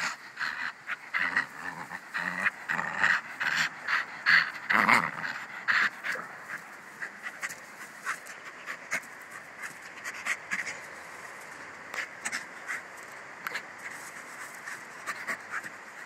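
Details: Bruno, a pet dog described as a Jack staff, panting rapidly at about two and a half breaths per second, louder and rougher in the first six seconds, then softer and steadier; a faint hiss lies underneath.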